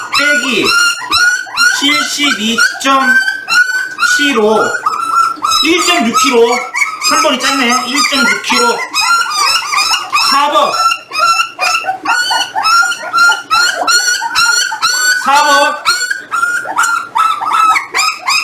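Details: Jindo litter eighteen days after birth, weighed along with its parents: continuous high-pitched squealing and whining, many short bent notes tumbling over each other, with occasional human speech in a small indoor room.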